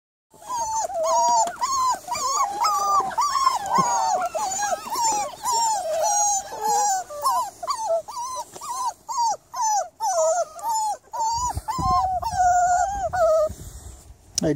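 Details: Miniature Labradoodle on an evening of 3rd July, giving a long run of high, wavering whines and yelps, rising and falling, closely spaced at roughly two per second with short gaps, a low rumble near the end.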